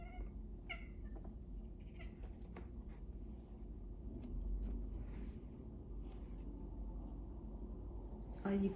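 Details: Jasper, a 5-year-old male domestic cat watching birds through a window, chatters in short, high chirps in scattered bursts over a steady low indoor rumble, with a woman speaking softly.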